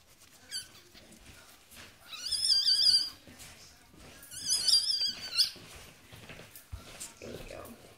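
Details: Yorkshire Terrier giving birth at a Michigan breeder, with newborn puppies present indoors: two long, high, quavering squeals, each about a second, separated by a pause, with faint short squeaks and soft background noise around them.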